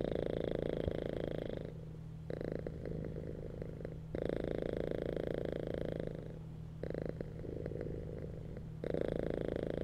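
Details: Cats purring while lying on a bed in a relaxed state, the vibrating rumble pulsing in regular breath cycles of roughly two seconds, louder exhale phases alternating with quieter inhales, over a low steady hum.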